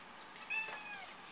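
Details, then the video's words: Egyptian Mau cat, male pet, answering his owners with a meow during a flash-card reading game; a short, thin, high-pitched meow with faint speech-like room noise around it. "Lewie always talks back to us.... Wonder what he is saying?"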